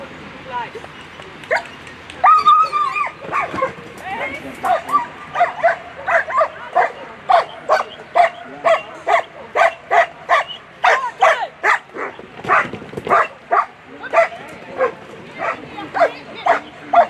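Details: German Shepherd at a world championship agility competition, barking in a steady series of sharp barks about once a second through most of the run, with a higher yelp early on and people speaking in the background.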